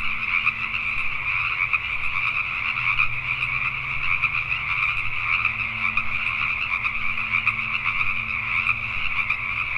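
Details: In Richmond, British Columbia, Canada, a nighttime chorus of Pacific tree frogs keeps up constant overlapping croaks in two bright bands, accompanied by faint steady low tones and hum.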